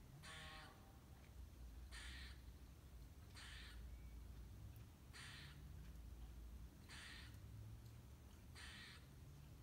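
A squirrel gives harsh, raspy calls, repeated about every one and a half seconds.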